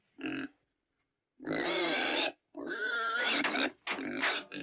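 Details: Domestic pig giving a short squeal, then two long, loud, harmonic squealing bursts separated by brief silences, shrill and strained, with a final choppy run of squeals.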